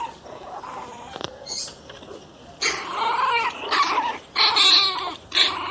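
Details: One-month-old pinscher puppies, described as fierce, stay quiet with faint sounds at first, then burst into harsh, raspy yaps and snarls in three loud bouts near the end.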